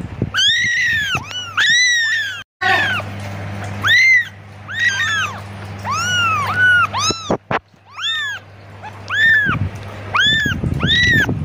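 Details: Persistent kitten meows for its mother, about fifteen quick, high arched cries packed into eleven seconds with a brief silent break, plus low hum and some rustling noise near the end.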